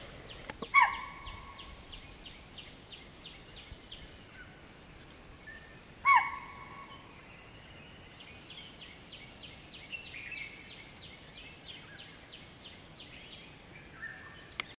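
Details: Spotted deer alarm calls at about 5:30 am, given on seeing a person on a machaan, warning its family, which was heading to a lake to drink. Two sharp, shrill barks come about five seconds apart over steady, rhythmic insect chirping.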